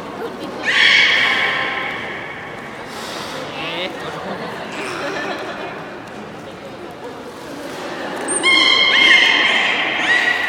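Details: Public beluga training, Port of Nagoya Public Aquarium, 24 March 2018 at 16:30: two bursts of bright, layered tonal calls separated by a stretch of indoor crowd noise, the second opening with a high squeak.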